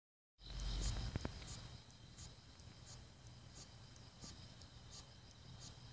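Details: A Hexacentrus japonicus katydid repeats sharp, high ticking chirps about every two-thirds of a second over a faint steady buzz, a stridulation heard at midnight, recorded 13 August 2016 in South Korea.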